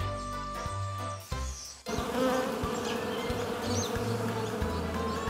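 A dense, steady hum of many bees, low and droning with a rough texture. A short burst of music comes first.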